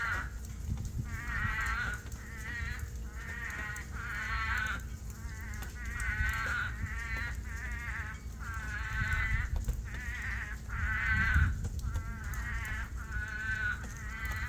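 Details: At night during a monsoon rainstorm on a farm, many toads that have dug out call from water in a chorus of harsh, bleating, goat-like cries, each under a second and slightly buzzy, over steady rain and low rumbling.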